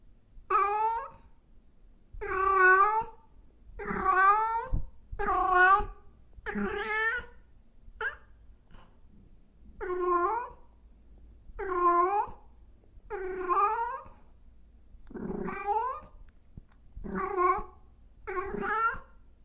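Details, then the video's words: Kittens and cats meowing loudly: a steady run of about a dozen harmonic, slightly wavering meows, each under a second long, spaced roughly every one to two seconds, with a quiet low hum beneath. "Sounds of Cat Meowing and Kitten Meowing |Baby Cats Meowing |Cats Meowing Loudly"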